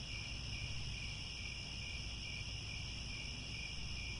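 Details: Crickets at sunset in grasslands around Angkor Wat, Cambodia: a steady, unbroken high trilling chorus in several shimmering bands, over a constant low rumble of background noise.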